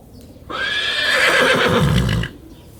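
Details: Horse (Equus caballus), neigh.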